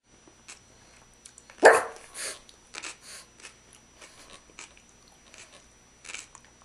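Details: Pet dog indoors beside a coffee table while its owner eats a meal, giving one short loud bark, then quieter clicks and chewing-like taps in a small room.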